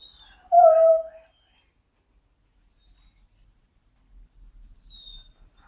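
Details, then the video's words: Frustrated Border Collie mix indoors: one short, loud, nasal whine that drops slightly in pitch, followed by near silence with faint rustling. "Border Collie Mix Dog frustated"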